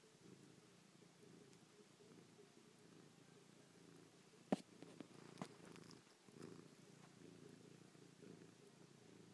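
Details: Chloe, a pet cat who slept on a person's back all night, purrs while kissing, pawing and licking their face; a steady low rumbling purr runs throughout, with a few sharp clicks midway in a quiet indoor room.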